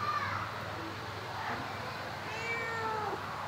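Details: Domestic cat giving a drawn-out, slightly falling meow late in the clip, with a fainter higher cry at the start, over a steady low hum and nearby human voices.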